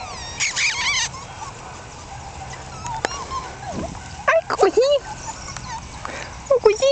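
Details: Month-old Jack Russell Terrier pups, born 27 October 2010, sire and dam Yeti Romany Storm and Romany Rio. Scattered short yips and squeaky whimpers come in quick bursts, with a brief cry near the start, over faint room noise.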